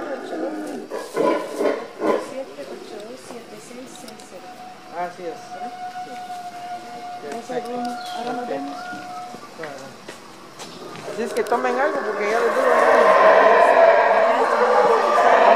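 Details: Howler monkeys at the entrance to Tikal park in Petén, Guatemala, roar in a deep, rasping swell that builds loudly near the end, with people talking earlier.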